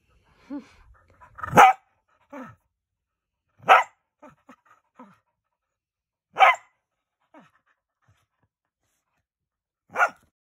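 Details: Small pet dog nicknamed Whipper Snapper, playfully biting a finger, gives four sharp, high yappy barks spaced a few seconds apart, with soft whines and small grunting sounds between them in a quiet room.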